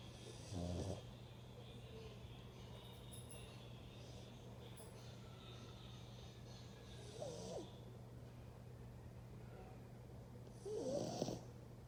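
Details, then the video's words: Dog snoring while asleep: three rough, snorting snore bursts at uneven gaps of several seconds, separated by quiet stretches, over a steady low electrical hum. "Dog roncando"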